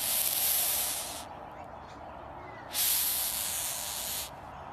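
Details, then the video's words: Hissing rhinoceros beetle held by a woman in Queensland, Australia: two long, loud, steady hisses, the first about a second, the second about a second and a half, with a quiet pause between. "Hissing Rhinoceros Beetle"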